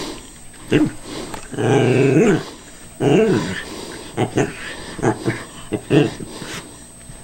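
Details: Wary Cairn Terrier tackling a callous remover that is turned off, indoors: two long rising-and-falling growls followed by a string of short quiet barks and snaps.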